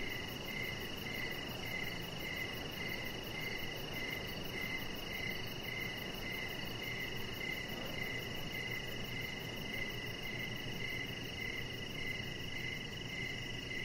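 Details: Evening outdoors, crickets keep up a continuous pulsed chirping near a deck where a chihuahua rests; evenly spaced chirps come about twice a second, clearest in this stretch, over broad background hiss.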